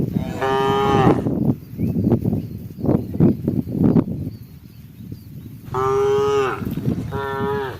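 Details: A herd of cows eating together as night approaches gives long, drawn-out moos rich in harmonics, a cow calling its herd.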